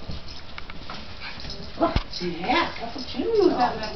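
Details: Japanese Chin from a rescue in NC playing with other Chins at home: short whiny yips and grumbling vocal bends near the end, mixed with a person talking nearby.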